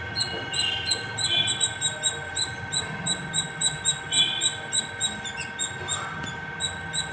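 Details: Non-stop squirrel perched atop a terrace, giving a long run of high, piercing squeaky chirps at a quick, fairly even pace, roughly three per second, with a steady hum and soft low noise underneath.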